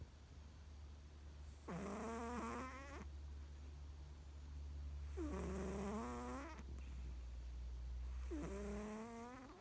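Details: A pet American Shorthair cat snoring loudly at home. Three rasping, buzzy snores come roughly every three seconds, each rising then wavering, over a low steady hum and hiss.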